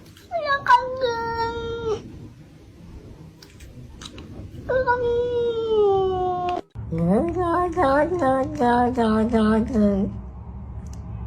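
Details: Cat giving drawn-out, tonal meows: a bent cry, then a long level wail, then a wavering, pulsing series of short yowls, all over a low indoor background hum.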